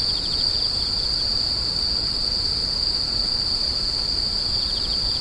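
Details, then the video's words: Screeching insects in a dense chorus: a steady, piercing high-pitched ringing drone without pause, with brief softer pulsed trills from another caller near the start and end, and low background rumble. "The sound of insects crying"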